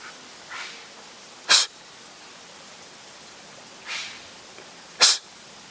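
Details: Wild Japanese serow in mid-September in Japan, on a trail beside a mountain stream, giving harsh hostile or intimidating snorts while exchanging them with a person; sharp breathy bursts near 1.5 and 5 seconds, with softer exhaled snorts between.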